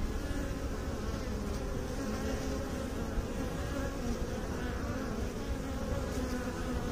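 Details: Even, sustained humming of beekeepers' bees, low and layered, with a few faint higher flickers as individual bees pass.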